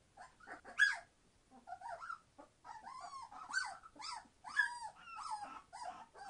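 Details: Entlebucher Mountain Dog puppies, a 21-day-old litter born 26 September 2015, being very noisy: overlapping high whines and yelps sliding up and down, in short bursts with brief pauses.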